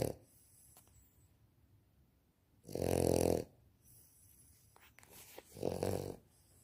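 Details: Sleeping Victorian Bulldog puppy indoors, snoring: two loud rough snorts about three seconds apart, each lasting under a second, with quiet breathing between.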